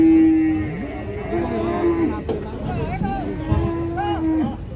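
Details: Huge black cattle on a rampage as handlers try to bring it down from a truck: three drawn-out, steady low moos, each lasting about a second, over background music, voices and scattered clatter.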